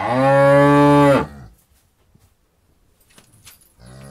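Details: Barnyard cow giving a loud, deep, steady moo lasting just over a second and stopping abruptly, followed by near silence with soft clicks, then the start of another low moo at the end, set in countryside ambience.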